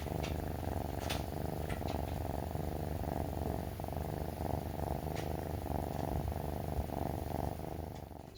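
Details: Purring from a rescued male brown tabby kitten, three months old, rubbing against its owner after waking and before feeding; low, rhythmic rumble swelling and fading with each breath, with scattered light taps and rustles.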